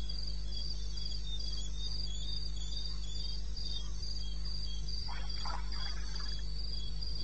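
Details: Cricket in the eastern Botswana wilderness at 2:30 am, 21 May 16, chirping in a very regular high-pitched pulse train; a brief burst of another raspy sound near the end, all over a low steady hum.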